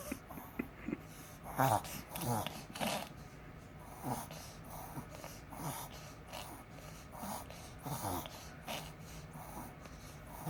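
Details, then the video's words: Pomeranian kept at home, reverse sneezing: a run of loud, rasping snorted inhalations repeated roughly every second, uneven in spacing, with a quiet indoor background hum. "うちのポメラニアン 逆くしゃみ？"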